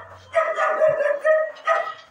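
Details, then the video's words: Dogs during a fight give a series of four short, harsh barking bursts, each rough and harmonic, spaced a fraction of a second apart with brief pauses between. "Dog Fighting Video | Dog Fight | Kutte Ki Ladai | Kutte Ki Awaaz"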